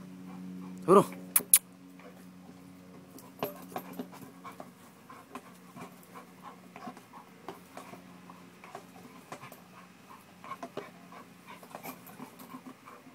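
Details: Panting American Bulldog at a workout to build muscle: a brief human voice and clicks open, then quick rhythmic breathy huffs continue steadily against a constant low electrical hum.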